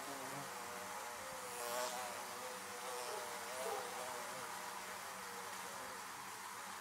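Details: Bees buzzing around beehives: a steady, dense drone with wavering, layered overtones holding throughout, swelling slightly near two and four seconds as individual bees pass close.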